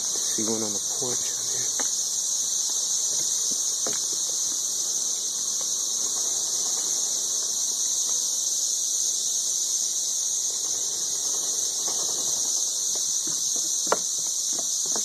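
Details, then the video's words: Thirteen-year periodical cicadas in Nashville, Tennessee, described as ridiculously loud: a dense, steady, high whining chorus holds without pause, with a few faint clicks and bumps beneath it. "Ridiculously loud 13-year cicadas"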